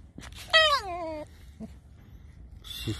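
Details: Alice, a tame fox, gives a single creaky whine that starts high and sweeps down over about half a second, followed by quiet and a brief rasp near the end.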